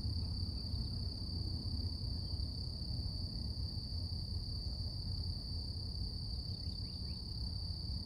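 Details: A continuous shrill cicada drone on a morning in nature, flat and unchanging in pitch, partly buried under dense low-frequency environmental noise, with little else standing out.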